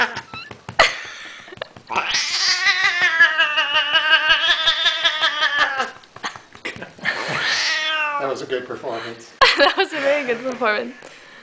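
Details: Male domestic cat wailing loudly indoors while roughly petted and patted on his sides, which he enjoys and begs for more; a long sustained wavering wail, then shorter bending cries, over steady patting thumps and human voices.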